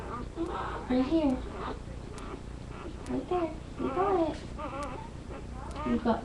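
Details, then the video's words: Several Labrador retriever puppies crying indoors, seen on a live puppy cam; short wavering whimpers come in bursts with brief quiet gaps, and low room hum runs underneath. "Puppies Making Noise"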